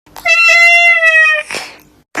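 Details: A domestic cat, playfully called a peeper, gives one long drawn-out meow lasting over a second, steady in pitch with rich harmonics, followed by a short breathy sound and a brief noise at the end.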